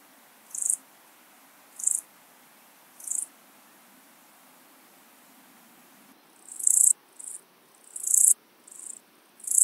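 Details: Siberian straw grasshopper, Euchorthippus pulvinatus, recorded at Fülöphaza, Hungary, 17 July 2022: three spaced high buzzy chirps about a second apart, a pause, then a denser burst of uneven chirps, perhaps from more than one insect.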